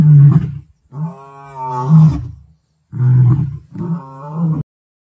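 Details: Two Kambula male lions, great-grandsons of the Mapogos, roaring at sunset on 9 October 2024; deep, rumbling, drawn-out roars in three long bursts separated by short silences.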